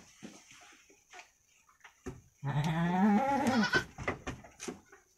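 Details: Week-old female goat kid of Javanese Randu crossbreed, playing with its twin inside a pen, gives one long, shaky bleat rising slightly in pitch, followed by light clatter and a faint steady hum.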